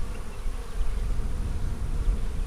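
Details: A dense, even drone from honey bees in a colony split from the main hive on March 4, heard during an April 15, 2017 hive inspection, with no other sounds.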